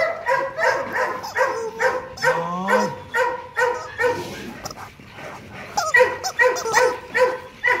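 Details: Loki, a two-year-old male Rottweiler stud dog at Gervi Kennel, being played with. Rapid run of short, tonal yapping barks, roughly two per second, broken by a rising whine near the middle, while people talk nearby.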